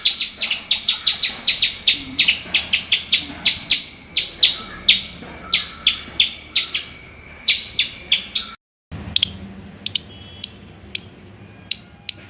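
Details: Rapid run of sharp, dry squirrel chips packed closely for several seconds, then a short silence and fewer, more widely spaced chips.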